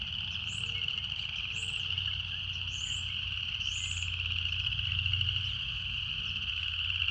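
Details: Cicada chorus outdoors: an even, shrill buzz sustained without pause, with a few brief rising-and-falling high chirps from another caller and a faint low rumble.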